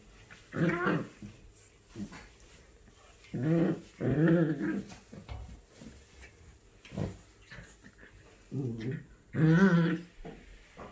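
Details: Puppies meeting for the first time, a 3-month-old male Shiba Inu and a 10-week-old female Pug; five separate low, throaty growls and grumbles, each under a second, spaced irregularly two to three seconds apart, with quiet gaps and light rustling between.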